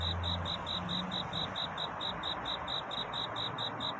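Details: Cricket at night calling for a mate with its courtship song: steady high chirps about twice a second, partly masked by broad rushing noise and a low humming tone at the start.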